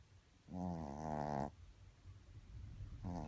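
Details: Shih Tzu named Poppy asleep indoors, snoring: one buzzy, low drawn-out rasp lasting about a second, then quiet breathing and the start of the next snore.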